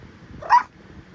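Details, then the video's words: Pomapoo puppy, described as very talkative, letting out one brief, high yelping yip in a quiet room. "Ano kaya sinasabi ng baby dog ko- ang daldal eh"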